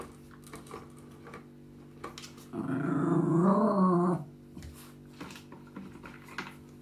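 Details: Low, rolling growl lasting nearly two seconds from Maggie, the West Highland White Terrier lady living in Germany, rising and falling in the middle, framed by soft clicks and a steady indoor electrical hum.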